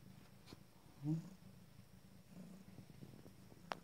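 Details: Abyssinian kittens, five days old, nursing while seated; a soft low rumbling purr runs steadily through, with a brief louder murmur near the middle and a sharp click at the end.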